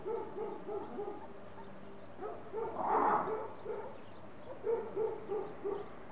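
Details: A red ruffed lemur (Varecia variegata rubra) at Zoo de Lagos in the Western Algarve, Portugal, 2014, gives a run of hoarse, barking notes, about three each second, with a harsher burst midway.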